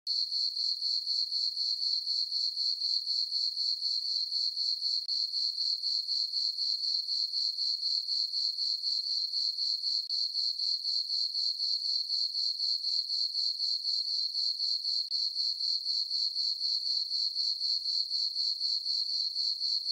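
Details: Crickets chirping on a peaceful summer night in a farm meadow under a full moon, a steady high-pitched pulsing trill repeated about four times per second, very even throughout, with no other sounds.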